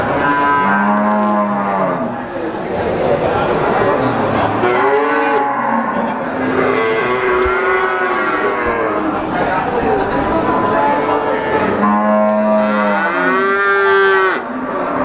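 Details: Brahman breeding cows at the Sumberlawang cattle market in Sragen, 2018: several overlapping drawn-out moos, one deep and steady near the start and again near the end, higher wavering calls in between, over a constant busy market din.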